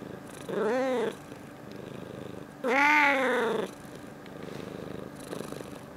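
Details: Indoor pet cat, February 2018, talking with its owner: two arched, meow-like calls about two seconds apart, the second louder and longer, each rising then falling in pitch, with a faint murmur between them.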